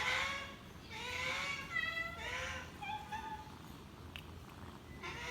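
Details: Drawn-out, wavering meows from a hungry cat follow one another closely, each bending up then down, with a soft click and a low room hiss behind.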